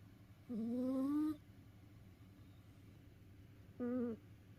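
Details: Cat tired out after play, snoring in its sleep: two nasal, tonal, whistling snores, the first lasting nearly a second and rising slightly in pitch, the second shorter, over a faint steady background hum.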